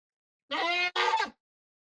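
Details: Lone goat in an Indonesian village, left as the only one of nine after the rest of its herd was taken away, gives a loud harmonic bleat in two quick bursts, the second wavering, in otherwise quiet surroundings.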